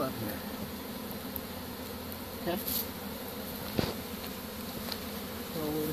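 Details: Captured honey bee swarm settling into a covered hive after a pole-bucket capture, 25 March 2015; continuous low droning hum of many bees with brief clunks and occasional human speech.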